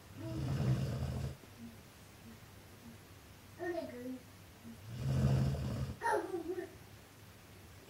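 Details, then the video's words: Gerda, a huge dog, snoring indoors: two long, rough, low breathy snores about four seconds apart, with short bits of human speech between them. "Огромная собака Герда ХРАПИТ!"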